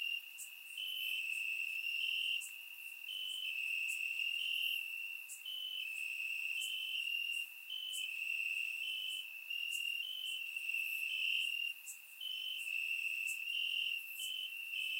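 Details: Crickets calling from grass on a warm Bulgarian summer night, surround microphone recording: sustained shrill buzz with repeated short upward steps and sparse sharp high clicks, no other sounds.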